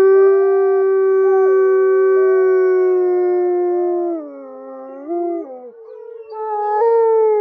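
Wolves howl in long, steady, mournful tones, with a second voice weaving above the first.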